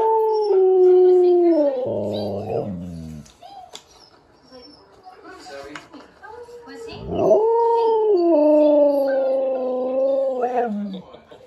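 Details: Domestic Siberian Husky reacting to talking-dog videos by howling: a sustained level howl, a rough break with quieter sounds, then a second long, slightly falling howl ending in a drop.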